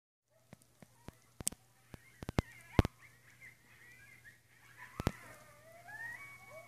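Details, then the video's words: Coyotes at midnight in west Travis County on an ordinary night: several wavering, yipping voices overlap in rising and falling high-pitched howls through the second half, after a run of sharp clicks and knocks. "Coyotes at Midnight"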